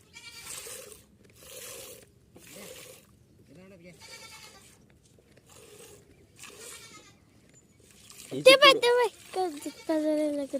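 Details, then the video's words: Kathewadi goat at live milking; a person talks in short phrases for most of the time, then loud, quavering, harmonic bleats break in near the end, one after another. "काठेवाडी शेळी ची लाईव्ह मिल्कींग"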